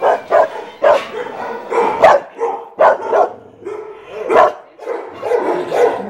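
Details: In Brazil, the dog Jeová faces up to Barão and Larika: loud sharp barks in irregular bursts, some yelping and rising, spaced roughly half a second apart, more than one dog calling.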